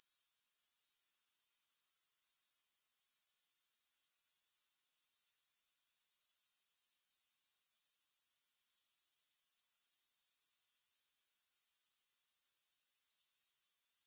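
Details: Steady, piercing insect buzz attributed to grasshoppers: a dense high trill with quick, even pulsation. It breaks briefly around eight and a half seconds, then continues unchanged. No background noise.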